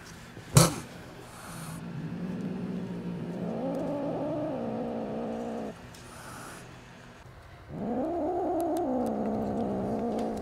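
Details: Five angry kittens, about two months old, with their mother cat nearby, react to a person bringing food. Low drawn-out growling rises into a louder wavering yowl, then falls silent and returns as a second strong moaning growl.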